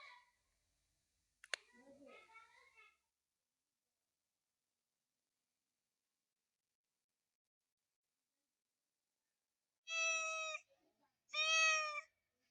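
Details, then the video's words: Real cat giving two loud, drawn-out harmonic meows near the end, each about half a second, close together, after long silence and faint brief clicks and murmurs at the start. "Really Loud Cat Noises | Real Cats Purring Sound | Real Cat voice | Cats Meowing Sound"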